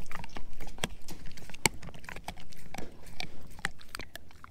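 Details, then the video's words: Male German Shepherd mix eating a dehydrated pig ear dog chew: dense, irregular crunches and sharp cracking bites mixed with wet gnawing clicks, steady throughout, indoors with a low background hum. "Eating a Dehydrated Pig Ear Dog Chew ASMR"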